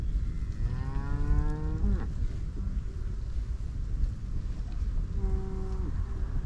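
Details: Grazing cattle in a Dutch field: a long mooing bellow that bends downward as it closes, followed after a few seconds by a second, shorter moo dropping in pitch, all over a constant low outdoor rumble.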